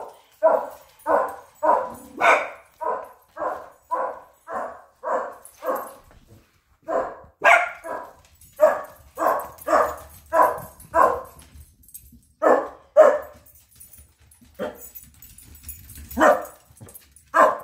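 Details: Pug puppy named Jet, who chewed up his toy basket, letting out a long run of high, clipped barks about twice a second, with a brief lull midway before more scattered yaps.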